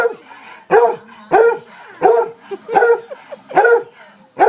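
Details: A house dog keeps barking insistently at its owner until the dishes get washed, giving seven sharp, loud barks in under five seconds in a quick, uneven rhythm.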